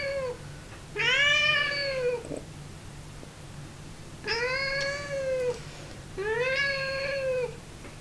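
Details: Cat giving long, plaintive meows, three full ones plus the tail of another, each arching up and sliding down in pitch, separated by short pauses, with a faint constant low hum in the room.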